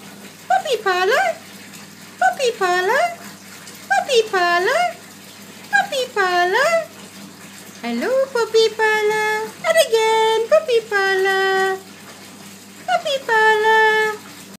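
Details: Bichon Frise dogs, Gino among them, singing indoors: a run of short, swooping howls that dip and rise, repeated about every two seconds, then longer, steadier wavering notes, in a small room.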